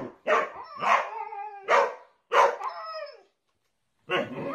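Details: Pet dog barking in a quick series of four loud, harmonic barks with ringing, slightly falling tails, a short pause, then one more rough bark.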